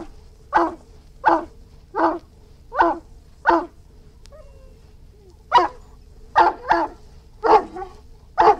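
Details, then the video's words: Two bursts of barking from an Irish Wolfhound: five evenly spaced rough barks, a pause of about a second and a half, then five more in quicker succession, over a faint hum. "Irish Wolfhound Barking"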